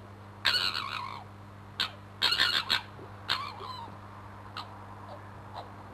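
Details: Crooked-Tail, a fox, fighting and posturing just under a bedroom window; harsh, raspy screams in short bursts, a long shriek then a clipped cry, a triple volley and further hoarse squalls fading to brief yelps, with steady background hum.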